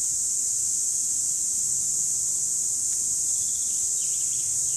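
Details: Loud chorus of cicadas, 2017, a dense shrill drone that never pauses or changes pitch across the few seconds.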